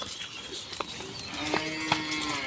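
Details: Cattle kept for Qurbani, one of two cows being brought home, gives a long steady moo in the second half, a low harmonic-rich drone held for about a second, with scattered clicks and knocks around it.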